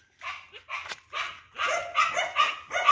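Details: Big-bellied dog being brought home, giving a quick run of short, bright yapping barks that come faster and louder toward the end, about seven in three seconds.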